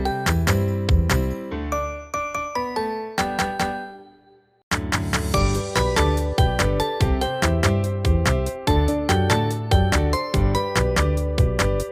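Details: Chiming, glockenspiel-like children's music, with a brief pause near the middle and no animal sound.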